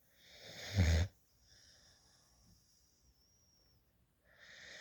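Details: Sleeping rescue puppy, a female, snoring in someone's lap, drooling with tongue sticking out: a single brief throaty snore near the start, a hushed pause, then the next rough breath beginning.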